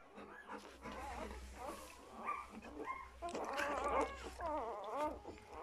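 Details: Two-day-old puppies of Folie and Mayley squeal and whimper in high, wavering, bending cries that rise and fall in irregular bursts, denser and overlapping near the end, with a steady low hum underneath.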